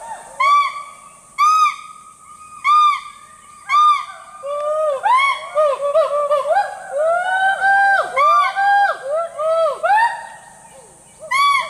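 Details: In a rainforest, hoolock gibbons give loud, rising-and-falling whooping calls that build into overlapping voices.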